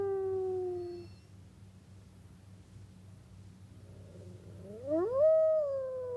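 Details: A wolf howl fades out at the start, followed by a few quiet seconds with low hum, then a new howl swoops steeply upward and begins to level off and drop.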